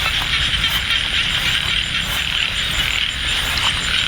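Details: Frogs calling in light drizzle at Ban Na Suang, Det Udom district, Ubon Ratchathani, Thailand, during a frog hunt. A dense, unbroken high chorus of rapid rattling pulses fills the scene, with a steady hiss beneath.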